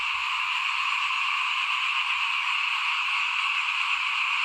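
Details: Many frogs calling together in front of a house as rice is sown for the 2021 planting, a steady, high, pulsing drone that never lets up, with soft low thumps underneath.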